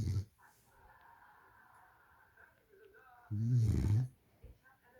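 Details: French Bulldog snoring: a loud, rough, pulsing snore lasting under a second, with a faint steady whine and quiet hum between breaths indoors.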